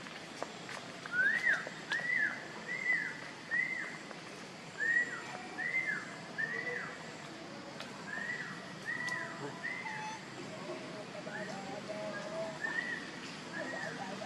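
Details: Hungry baby monkey crying to beg for milk: short arched whistled cries, each rising then falling, given in quick runs of two or three with brief pauses between runs, over faint rustling background.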